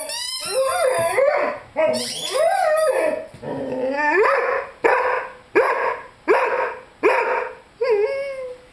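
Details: A 5-month-old Rhodesian Ridgeback named Lyle, who loves his squeaky chicken toy, howls along with it. Several drawn-out wavering howls come first, then a run of short rising cries repeated roughly every second, with squeaky high tones overhead.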